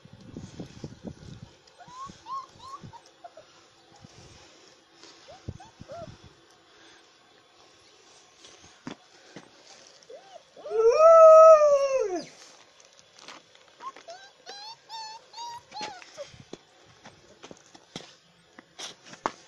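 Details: Alaskan Malamute puppies on 9 February 2017: scattered soft whimpers, then one loud, drawn-out, arched whining howl lasting about a second and a half, followed by more quavering whines amid clicks and rustling.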